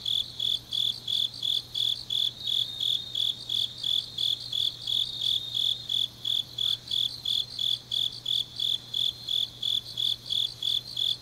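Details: Night chorus of grass insects in deep autumn, Changnyeong, South Gyeongsang Province: evenly spaced shrill chirps, close to three per second, with fainter overlapping pulses behind the main singer and a soft low drone.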